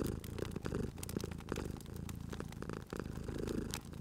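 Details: Cute sleeping cat purring beside a crackling fireplace in a cozy spring setting; steady low rumbling purr swelling and easing with each breath, cycles about a second long, over sharp pops and snaps of burning wood.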